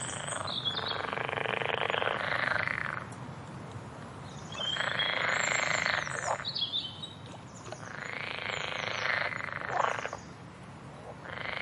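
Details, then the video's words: Frog chorus: dense, rattling pulsed croaks swelling in loud bursts of about two seconds, separated by quieter gaps, with faint high bird chirps above. "Frogs Go Crazy! - Frog Sounds"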